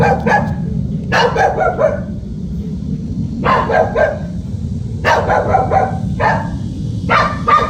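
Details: House dog on guard, letting out rough, repeated barks in groups of two or three roughly every second or two, with music playing underneath throughout.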